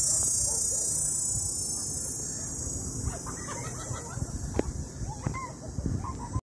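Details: Cicadas in the area of Popocatépetl volcano, Mexico, keep up a steady, high shrill drone, with hens clucking nearby.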